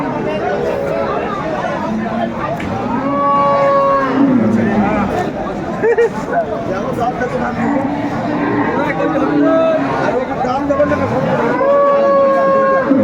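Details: Improved-breed dairy cows with calves at Aftabganj market, Dinajpur, one said to give 14 litres over two milkings; repeated long moos, some rising then falling, sound over constant market crowd talk.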